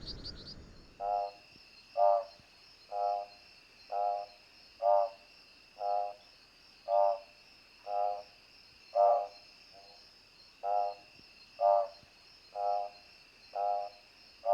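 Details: An Odontophrynus juquinha frog gives short, pulsed, rattling notes about once a second over a steady high insect drone.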